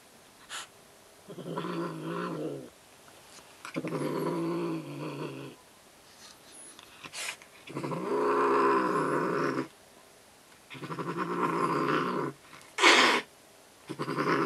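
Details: Angry domestic cat, worked up by a toy, indoors: five low, rough growling bursts of about one to two seconds each, separated by short pauses, with one brief sharp hiss near the end.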